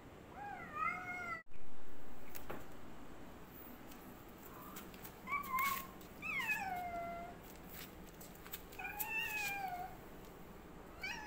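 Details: A black cat trying to fight a white cat gives a series of separate moaning meows and yowls, each bending up then down, spaced a few seconds apart, with scattered clicks and knocks between calls.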